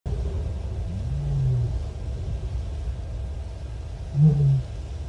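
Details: Female lion moaning to seek contact with other lions at Nkorho Bush Lodge, 30 September 2021, picked up by a live wildlife camera: two low, short moans about three seconds apart, sitting over a steady deep rumble of background noise.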